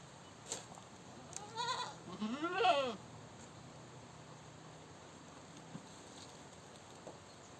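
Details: Goat giving a short, quavering bleat that rises in pitch and then falls, preceded by a softer call, followed by several seconds of quiet background noise with a few faint clicks.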